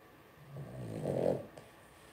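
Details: Two-week-old blenheim Cavalier King Charles Spaniel puppy from a litter of five in an indoor puppy pen; a single low, throaty grunting whine swells over about a second, then fades, against a quiet room hum.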